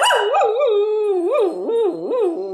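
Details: Cocker Spaniel singing along with its owner's harmonica: a continuous wavering howl that slides up and down in repeated swoops, its tone rich in overtones, without pauses.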